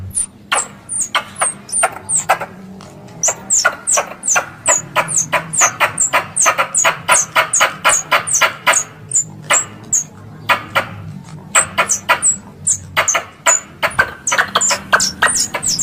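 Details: Squirrel calling sound for luring the animals during hunts. A long, fast run of piercing squeaky chirps mixed with snapping clicks carries on almost without a break, and faint low rumbling sits in the background.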